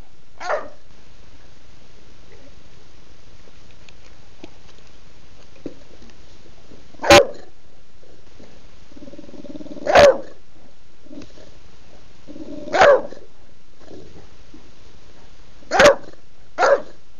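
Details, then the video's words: Pet bulldog, a female, barking at mealtime to demand dinner at home on a Sunday while another dog bounces nearby: sharp single barks every two to three seconds, the last two closer together, over quiet room noise. "Bulldog Betty wants her dinner NOW"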